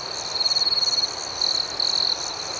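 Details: Crickets chirping at night: a high, even trill of about half a second, then two shorter trills close together, all above a dense, shimmering insect chorus.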